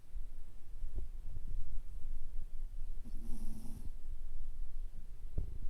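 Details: A Toy Poodle dozes on its back with its eyes turned up to the whites and gives a single short, buzzy snore midway through, over steady low indoor rumble and faint soft knocks.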